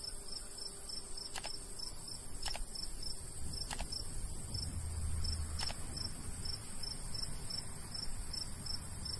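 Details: Countryside crickets in summer near golden wheat, rapid high chirps repeating evenly, several sharp clicks cutting across, and a low breeze hum.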